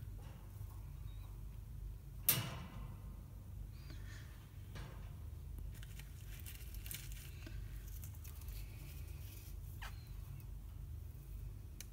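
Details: Low indoor rumble with one sharp tap and a few faint rustles and clicks, with no clear animal voice.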